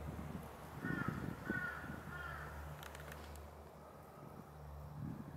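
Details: Mountain frogs gathered at a quiet valley pond after a light rain that barely wet the ground, part of their yearly singing. Three short, raspy, harmonic croaks come in the first two seconds, over a steady low hum.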